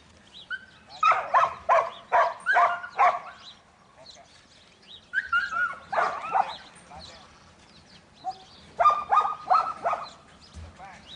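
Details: Sharp repeated barks from Buttons, a young male Border Collie in training, come in three bursts separated by short pauses, mixed with higher whining notes.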